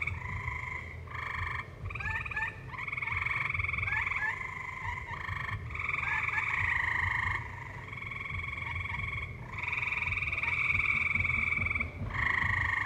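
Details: A valley chorus of tree frogs sounds over live music: buzzy pulsed trills in repeated bursts, several overlapping voices, with short rising chirps between the trills and a constant low-pitched drone.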